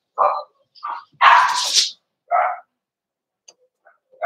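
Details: Indoor puppy pen where Cavalier King Charles Spaniel puppies meet several of the household's bigger dogs; a few separate barks, one longer and harsher, then near silence.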